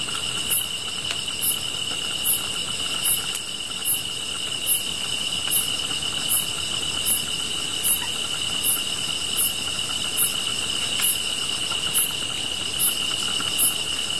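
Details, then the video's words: Grass insects singing near a fire: a continuous, shrill, even-pitched buzz with brief, piercing chirps pulsing steadily about three times a second, over a faint background hiss. "풀벌레 소리"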